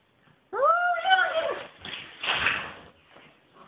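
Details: Persian chinchilla cat Jacob telling off Harvey, a blue Persian cat: one drawn-out, wavering, rising-then-falling meow followed by muffled rustling and thumps.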